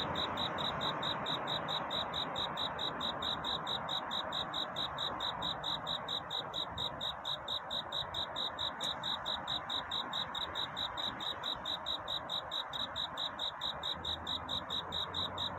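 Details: Night courtship song of crickets: rapid, evenly spaced high chirps pulse without a break, with one brief click partway through and a soft hiss beneath.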